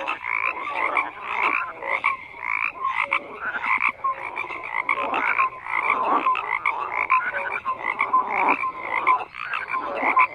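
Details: Frog chorus of numerous callers, raspy croaks pulsing and overlapping with brief whistled notes, swelling and dipping in loudness every second or so.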